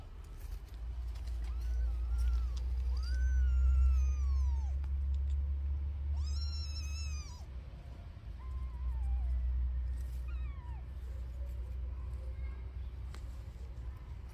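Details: Mother cat nursing her newborn kittens; several drawn-out meows rise then fall, each about a second long, around the second, sixth and tenth seconds, with a few softer short mews between, over a steady low hum.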